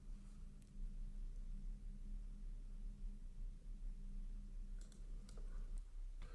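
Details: A low indoor hum with a few faint clicks and taps, and no animal calls.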